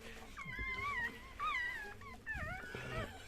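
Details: Chihuahua squeals heard at a home birth: three wavering, high-pitched whines, each bending up then down, with faint human voices at a low level behind them.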